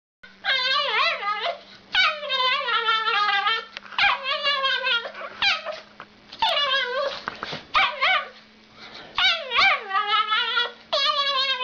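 A dog gives strange, drawn-out, wavering barks that sound almost like yodelling howls.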